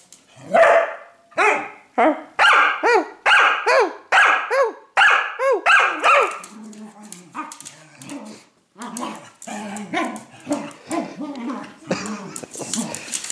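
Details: Loud, ringing dog barks at roughly one per second for the first six seconds, then softer, rougher growling barks and yelps mixed with low rumbling and rustling.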